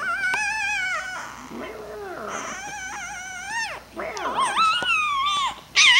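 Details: Puppy whining indoors in long, high, wavering tones that bend upward and then drop away, several drawn-out cries in a row, with faint human voices underneath.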